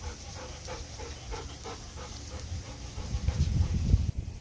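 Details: Golden Retriever panting after a walk under the blazing summer sun, heading back toward a cool room with a refrigerator; quick rhythmic breaths about three per second, with heavier low huffs and shuffling near the end and a steady high insect drone behind.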